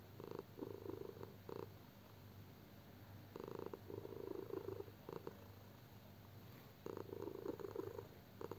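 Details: Sleeping house cat snoring: rough, airy pulses of about a second, then quiet gaps, the pattern repeating about every three seconds in a quiet room.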